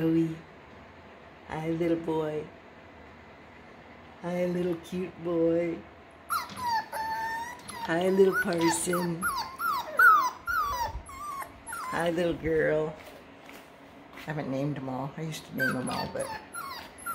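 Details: Kennel litter of six-week-old Russell Terrier and Parson Russell Terrier puppies: high, bending whines and short yelps break out in clusters between stretches of a human voice talking close by.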